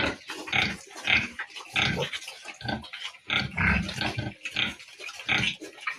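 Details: Farm piglets giving rough, rasping squeals and grunts, repeated in short bursts about every half second, voices overlapping from more than one animal.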